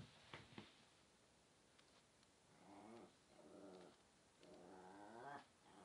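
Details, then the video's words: Pomeranian spitz dog 'talking' indoors: two soft clicks at the start, then three long, quiet, warbling whine-moans with shifting pitch, each lasting about a second. "Говорящий Померанский Шпиц"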